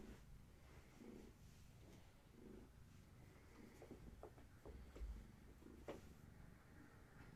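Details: Quiet indoor purring from a young kitten of Gaia's litter as the kittens play and receive leg massages in the evening; low rhythmic rumble in repeating breath-length pulses about once a second, with light rustles and taps.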